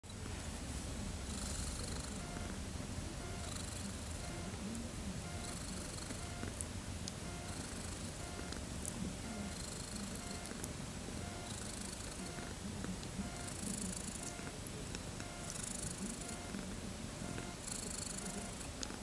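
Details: Thirteen-day-old kittens, born 31 August 2014, wanting to play: a steady low rumbling purr runs throughout, with faint regular higher-pitched bursts recurring about every two seconds in the background.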